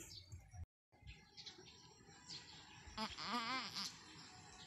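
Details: Anime, a long-horned doe on a small backyard farm, in her first and difficult goat birth. A single wavering, moaning bleat lasts about a second near the end, over low voices and household background noise.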